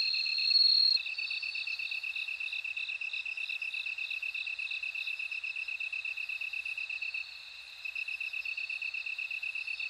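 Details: A bell cricket's shrill ringing trill, loud at first and then fading into the background. A quick, regular lower pulsing runs almost without pause beneath it, briefly dropping out near the end.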